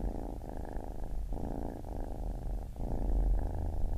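A kitten gives a continuous, low, throaty purr. The deep vibrating rumble flows on with short dips about every second as the breath turns, and no other sounds intrude.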